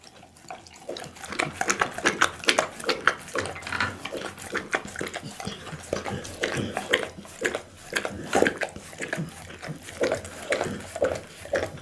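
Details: Bounce, a pit bull, eats raw food such as boiled loach, tuna blood meat, beef kidney, lamb spine and horse meat. Wet, crunchy chewing sounds repeat rapidly and steadily throughout.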